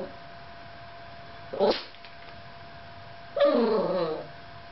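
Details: A Yorkshire Terrier alone in front of the camera lets out two sharp barks nearly two seconds apart. The first is brief and clipped, and the second is longer and ends with a whine, over a quiet steady hum.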